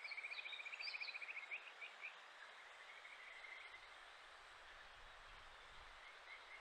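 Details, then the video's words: Kajika frog, a wild Japanese stream frog recorded in July in Japan: a quick pulsed trill for about two seconds with brief higher chirping notes above it, then weaker distant trilling amid steady hiss. "カジカガエル 鳴き声 7月"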